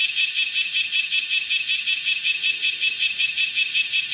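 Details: A bear cicada (Cryptotympana facialis) shrilling while walking on a window screen, 31 July 2018 at 10:03: a loud, dense, high buzzing hiss throbbing in regular pulses, about two to three each second.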